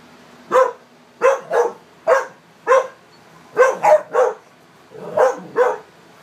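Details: American Staffordshire Terrier barking while playing together with other dogs named Nikki, Tater, Morgan and Auggie. About ten short, mid-pitched barks come singly and in quick doubles and triples over six seconds, with a low hum underneath.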